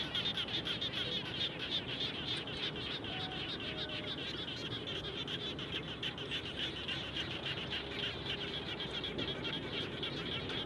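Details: Frogs around a home after rain, many animals overlapping in a fast pulsing chorus of short bright notes, with a few faint whistled tones and background hum.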